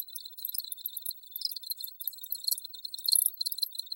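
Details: Shrill, continuous cricket trilling broken into fast pulses, with a louder cluster of chirps around three seconds.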